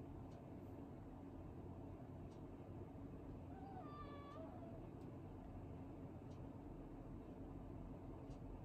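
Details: Tokiji, a gentle, unusually quiet male house cat rescued as a kitten in late spring 2015, gives a single short, soft meow with clear stacked harmonics that rises slightly and then falls, over a steady low indoor hum.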